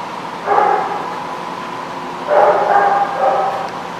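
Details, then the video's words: Dog recorded 8/12/16: two separate bouts of hoarse, tonal barking around a second long, the second bout breaking into two quick barks, with a low steady hum between them. "The Barking Lot"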